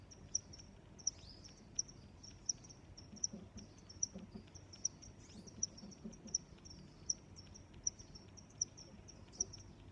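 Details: Cricket chirping in a steady rhythm, short high pulses repeated about every three-quarters of a second, roughly thirteen chirps, over a low background hum.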